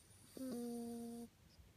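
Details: A Toy Poodle snores while asleep, a single steady, humming snore lasting under a second; the owner suspects an old injury left its nose in poor condition.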